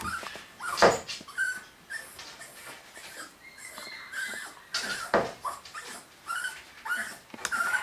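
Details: Nine-week-old home-bred Maltichon puppies indoors, giving high thin whines and short yips scattered through the clip, with clicks and knocks in between.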